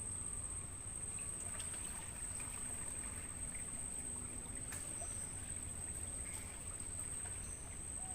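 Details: Mangrove-forest crickets, captured as audio for training songbirds, keep up a continuous shrill tone at a fixed high pitch; a few brief whistled bird notes, one rising at the end, and a soft trickling, rumbling background.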